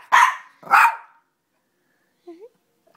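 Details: Two loud, quick barks about half a second apart from Audrey, a female shoodle puppy, worked up indoors when asked where mummy is; a brief soft squeak follows after a pause.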